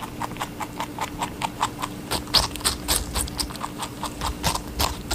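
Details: Rabbit eating watermelon: rapid crisp crunching bites, about five per second, each a sharp wet click, with a faint steady low hum underneath.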